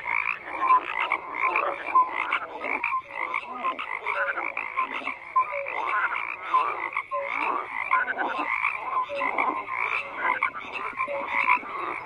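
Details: Frogs croaking in a dense chorus: overlapping rasping, rattling croaks pulse without pause, with short clear tonal notes popping out about every second and a brief lull near the middle.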